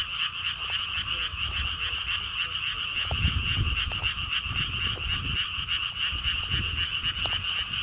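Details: Frogs calling at a lotus theme park beside a stone wall path at Gwangokji pond, Siheung, Korea: a dense, steady chorus of rapid pulsed croaks, a continuous buzzing trill, with low wind rumble and faint thumps beneath.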